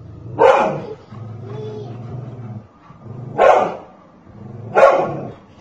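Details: Protective dog barking to guard a child from his mother as she scolds in Turkish; three sharp barks about one and a half seconds apart, with her voice and a low hum between them.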